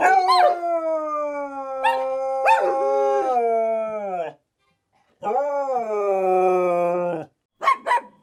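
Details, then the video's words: A dog howls in long, drawn-out tonal cries that hold steady and then slide downward, with a short gap between two extended howls and quick sharp yelps at the start and end; no other sounds intrude. "dog head tilt | sounds dogs love"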